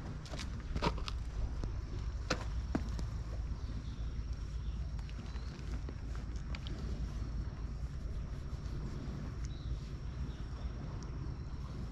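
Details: Outdoors at an abandoned school, footsteps and sharp clicks sound over a low rumbling background, with no animal voice heard.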